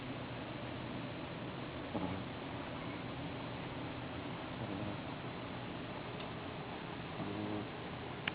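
A Boston Terrier snores steadily in deep sleep, a low rumbling breath with a few louder snorts.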